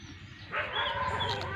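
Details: A lamb gives a single steady bleat with strong, even harmonics lasting about a second, after a brief quiet start with faint background hum.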